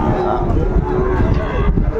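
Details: Sahiwal bull calves at a cattle market near Dhaka, Bangladesh, on 8 May 2024: a deep, steady lowing hums under the busy market bustle, with men's voices close by.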